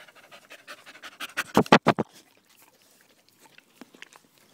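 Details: Danco, a dog, pants loudly while sticking close to a person's leg, recorded 5 August 2013; quick breathy bursts speed up and swell to a loud peak near the second mark, then fade to soft, scattered pants.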